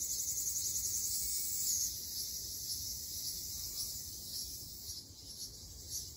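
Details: A steady shrill whine of Ryukyu large brown cicadas fills a summer forest in Okinawa. A slightly stronger rising phrase comes early, then a softer, even buzzing chorus continues.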